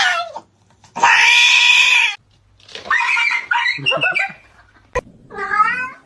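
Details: Domestic cat from a funny cat compilation: a short falling meow, then a loud, drawn-out, harsh wailing cry lasting about a second, followed by a series of wavering mews and a final rising-falling meow.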